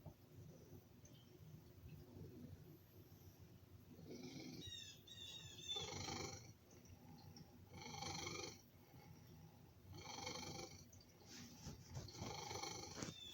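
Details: Domestic male cat purring loudly while begging for food: a continuous low rumble broken by loud, rasping, snore-like breaths roughly every two seconds, with a few brief high chirps early on.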